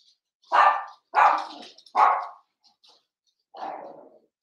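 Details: Seven-week-old blenheim Cavalier King Charles Spaniel puppies, a litter of five indoors in a home puppy pen: four short, harsh barks, three in quick succession and a softer fourth after a pause, with faint background squeaks.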